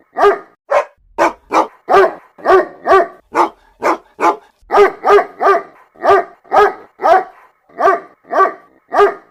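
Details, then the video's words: A mother dog calling puppies, her voice a string of short, resonant barks and occasional whiny, higher yips, repeated around twice per second with short gaps; otherwise silent. "MOTHER DOG CALLING HER PUPPIES SOUND EFFECT 🐶 MOM DOG SOUNDS"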